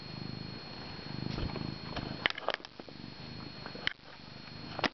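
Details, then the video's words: Male house cat purring close to its owner, sounding like an old motor. A low rumbling purr fills the first two seconds, then sharp knocks and rattles follow as the cat pounces on a swinging camera strap. "My Cat Purring Up a Storm"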